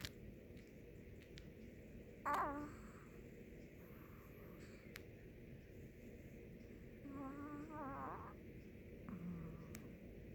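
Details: Snoring Chihuahua at rest, gentle rasping breaths with a faint warbling whistle on two long exhalations, plus a couple of small clicks and a quiet indoor hum.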